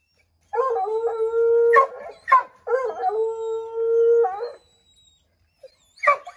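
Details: Redbone Coonhounds treeing a chipmunk in an oak tree, howling to drive it out: two long, steady bawling howls, each about a second and a half, broken by short sharp barks, with a further bark burst at the end.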